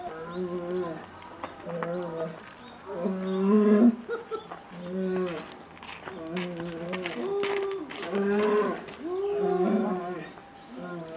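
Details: Captive polar bear cub, female, 11 months old, begging its 17-year-old mother for milk at Maruyama Zoo, Hokkaido, Japan, on December 15, 2011; calls grow louder. Harmonic, moaning calls, each about a second long, rising and falling, repeated in uneven bursts.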